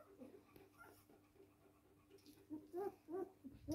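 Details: Three-week-old puppies at feeding time give short, squeaky whimpers in quick, irregular succession; the soft, arching whines grow louder and more frequent toward the end.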